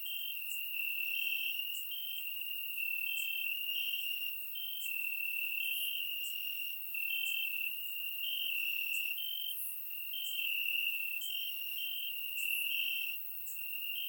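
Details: Many crickets chirping in grass on a warm Bulgarian summer night, recorded with a surround microphone; a constant high trill layered with rhythmic louder pulses about once a second, the chorus swelling and easing over time.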